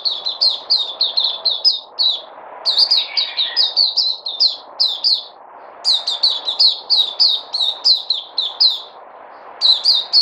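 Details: Kept white-eye (puteh), recorded 3 August 2020, delivering long fast strings of shrill descending chirps in repeated bursts with short gaps, one lower warbled phrase mixed in, above a soft continuous hum.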